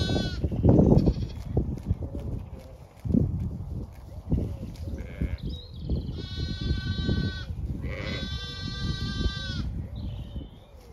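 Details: Zwartbles ewes with lambs on wet fresh pasture at a regenerative farm in County Kilkenny, Ireland; two long quavering bleats midway, a short higher call at the end, with chewing and wind noise beneath.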